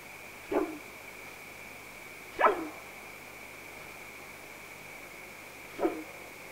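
A bull elk gives three short, sharp barks spaced a few seconds apart.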